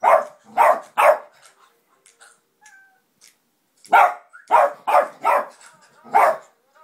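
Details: Household dog reacting to the Pets at Home advert on television: three rapid loud barks, a quiet pause with small whimpers, then five more forceful barks in quick succession.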